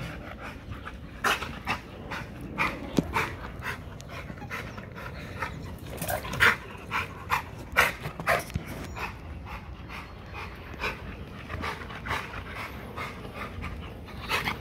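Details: XL American Bully hanging on a spring pole during a workout to build muscle and drain energy: ragged panting and snorted breaths, with a cluster of louder gasps mid-way and high faint chirps behind.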